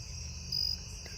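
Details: Cricket on back steps at night gives a single short, high chirp lasting about a quarter second. A steady high insect hum continues behind it.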